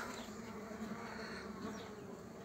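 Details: Bees from a frame with their queen starting a new colony; continuous low humming of many wings, steady in level, with a few brief higher whines overhead.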